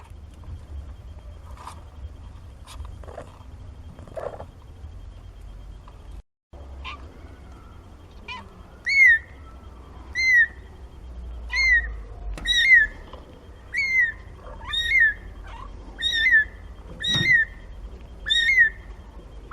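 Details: A kitten about 17 days old, one of Nina's four, mewing. Quiet rustling and soft clicks give way after about nine seconds to high, thin, downward-sliding cries repeated roughly once a second.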